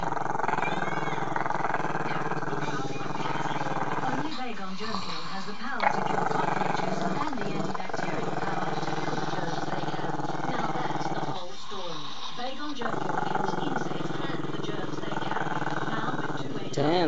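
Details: Maltese-Shih Tzu pup Chester, shy of the camera, growls at it in long rumbling stretches, pausing briefly twice as if to breathe before resuming the deep pulsed growl; indistinct talk plays behind.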